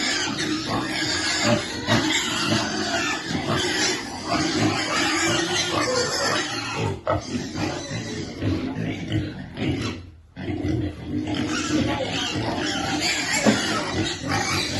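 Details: Baby piglet waiting to be fed, giving a steady stream of rough, broadband grunts and short squeals, dense and overlapping, with a brief lull near ten seconds before the noisy calling resumes.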